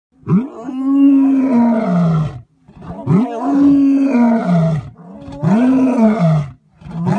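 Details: Male lion at Thornybush Private Game Reserve, South Africa, roaring: three long, deep moaning bouts, each about two seconds, rising then sliding downward with rich rough overtones, separated by short breaths.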